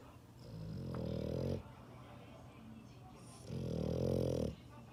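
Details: Dog snoring in its sleep, two rumbling, throaty inhalations about two seconds apart, each swelling and then cutting off, with only faint room hiss between them.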